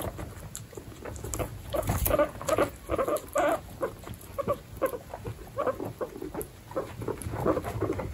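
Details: Domestic guinea pigs, young ones alongside pregnant sows in a group of 29 pets, give a steady run of short, clipped mid-pitched squeaks, several per second, over a bed of rustling and shuffling.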